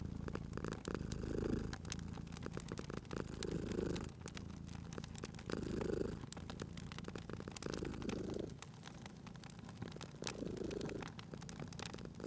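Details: Sleeping domestic cat purring beside a crackling fireplace in a cozy spring setting; low, rumbling purr swells in breathy pulses about every two and a half seconds, with sharp pops and crackles of burning wood scattered throughout.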